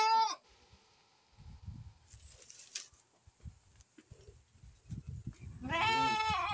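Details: Santa Inês purebred lamb raised for sale: a bleat cut off at the start, then a stretch of rustling, thuds and a brief hiss, ending in a loud, sustained, wavering harmonic bleat of nearly a second.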